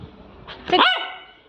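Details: Labrador Retriever puppy at play, giving a single sharp bark that rises then falls, with a strained tonal tail fading over half a second; a man gives commands nearby.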